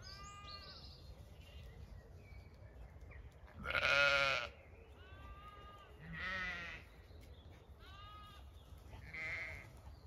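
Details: Zwartbles sheep grazing a diverse pasture field on an Irish farm in County Kilkenny in the evening; several ewes bleat in turn, one loud wavering bleat followed by shorter nasal calls every second or two from different animals, over quiet background rumble.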